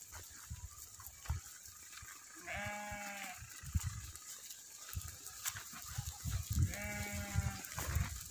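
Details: Goats kept for sale at a goat farm in Aurangabad, Maharashtra, India: two drawn-out, wavering bleats about four seconds apart, with low rumbling thumps of handling and movement and a steady high hiss underneath.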